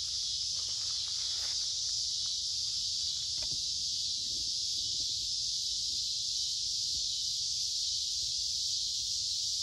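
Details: Cicadas singing in summer woods along a creek on a warm, humid day: a dense, steady high buzzing drone that never lets up, with faint footsteps and rustling from a walker underneath.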